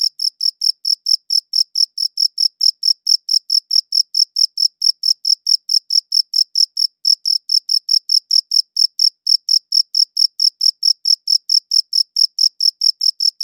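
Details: Crickets chirping, captured with a good audio recorder: a steady, rapid run of short, high, bright chirps, several each second, continuing without a break against a silent background.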